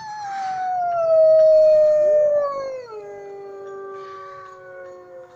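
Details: Gray wolves at a zoo howl in long, smooth tones that slide slowly downward, with a second voice joining briefly.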